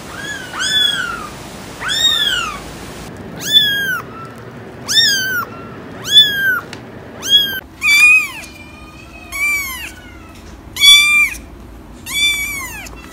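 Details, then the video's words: Kitten giving a steady run of about ten clear, high meows, each a short rising-then-falling squeal repeated roughly every second, with brief abrupt changes in background tone between groups of calls. "Cats Meowing – Kittens Meowing Video – Cute Kitten Meowing Videos – Funny Cat Meows"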